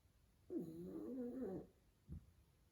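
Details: A sleeping pug, worn out after a day of fun, snoring loudly: one drawn-out, wavering nasal groan lasting about a second, then a quiet pause and a short, sharp snort.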